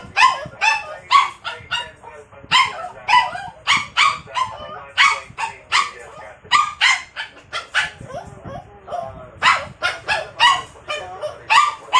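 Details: Jealous of a stuffed toy, a Poodle barks and yips rapidly and almost without pause, high sharp barks crowding together in bursts, with faint human voice underneath.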